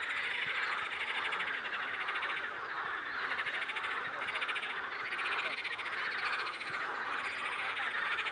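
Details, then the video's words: Toads singing by a river: a dense, continuous pulsing chorus of many callers, steady trilling throughout with no gaps. "Пение жаб на речке"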